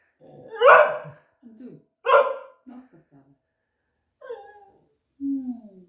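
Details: Young female beagle in a kitchen complaining and begging for a snack she is refused: two sharp yelping barks, short grumbling huffs, then rising and falling whining moans, with quiet gaps between.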